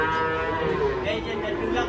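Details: Rampaging cow, off a truck and into a ditch in Indonesia, calls with a sustained, wavering moo rich in harmonics, mixed with nearby voices.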